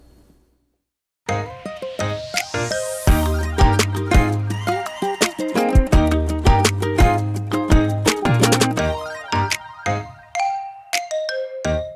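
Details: Lively instrumental music plays throughout, with a steady bass beat and bright plucked, chiming notes. No animal voices can be picked out.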